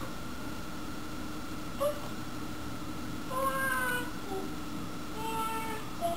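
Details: Dobermann wanting a pedicure, letting out thin, drawn-out tonal whines in a few bouts, some wavering and sliding in pitch, against a steady electrical hum.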